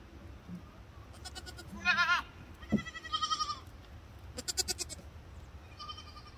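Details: Baby fainting goats play with Princess Pickles, a Siamese cat, giving short, high, quavering bleats in three bursts with a rapid pulsing vibrato. A soft background hum runs throughout, and one faint thud is heard.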